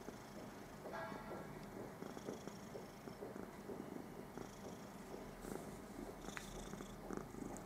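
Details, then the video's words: Püppi, a pet cat resting contentedly on her newspaper, gives a soft, even rumbling purr with rhythmic pulsing, while faint high chirps sound in the background. "Schnurrende Katze auf ihre Zeitung"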